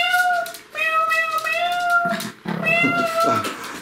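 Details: Pomeranian puppy aged 65 days singing indoors: long sustained tonal howls with stacked harmonics, a slight waver and dips between phrases, with some low rustling near the end.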